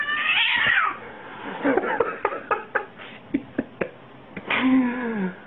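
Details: Pet cat from a funny fails compilation: a bright falling meow opens, followed by a string of sharp taps and clicks, then a second drawn-out meow that slides downward at the end.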